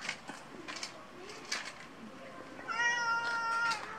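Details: House cat lets out a single clear, level meow of about one second after a stretch of faint background murmur.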